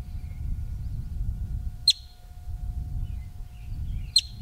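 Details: A male yellow-bellied marmot (Marmota flaviventris) just outside Yellowstone, in rocky hillside country, gives sharp, high whistled alarm chirps about two seconds apart, warning of danger.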